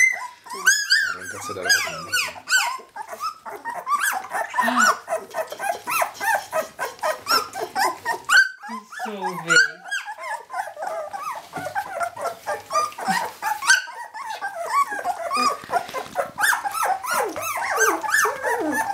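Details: Jämthund puppies from kennel Fenrisulfr, 2012, a litter calling together: dense overlapping high yelps, whines and squeaky barks with short pauses, a quieter break near eight seconds, then the chorus builds again.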